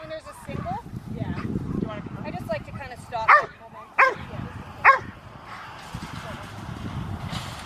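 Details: Monty, an Old English Sheepdog, barks while herding sheep: three sharp, loud barks in quick succession near the middle, under a second apart, over people talking and a low outdoor rumble.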